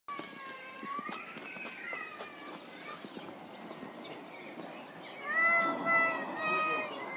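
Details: A white-handed (lar) gibbon named Jake, swinging, gives clear, tonal hoots that slide upward and end in a louder run of rising whoops.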